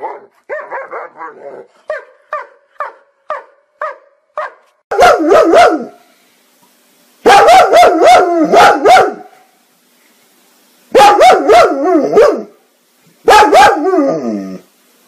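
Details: Dog barking in a funny compilation: a run of short, evenly spaced yaps roughly every half second, followed by loud, long bursts of rapid, harsh, harmonic barking in four clusters.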